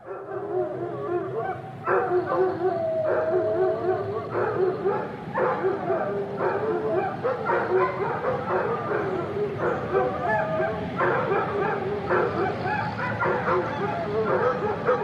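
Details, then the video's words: Several dogs howling and barking together in a kennel: wavering, sustained howls overlap with rapid bursts of barks and yips, forming a dense, continuous, bustling chorus with no pauses. "Dog Kennel Howling Barking Sound Effect"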